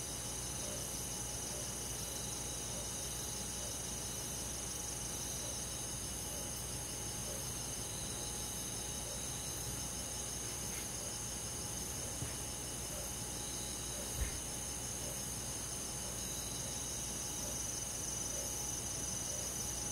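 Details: Summer-night insect chorus with crickets in a countryside forest, an unbroken wash of high, shrill chirps and rapid pulsed trills, with a constant low hum and a single faint knock near the end.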